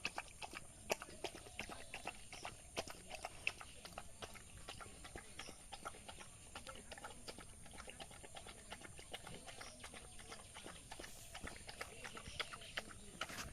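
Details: Village dog eating rice, heard as a dense run of quick crisp chewing and lapping clicks that keeps on without a break for the whole stretch, fairly quiet, with soft background hum.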